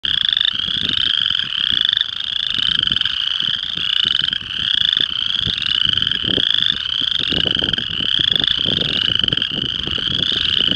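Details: Western chorus frogs calling at Devon Recreation Area, Chester, Montana: a dense chorus of rising, rasping trills repeated steadily about twice per second, overlapping continuously, with faint low rumbling background noise.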